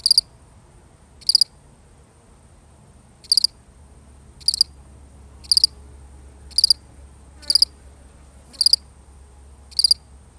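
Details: Real recording of one lonely cricket: nine sharp, high, pulsed chirps fall roughly once a second, steady and clear over near silence.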